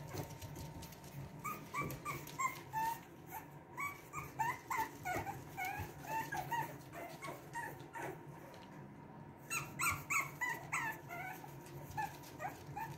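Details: Boston Terrier pups from Lily and Lil Red's litter of two, wanting out. Rapid high-pitched whimpers and yips, roughly three each second, in uneven bursts over a steady low hum.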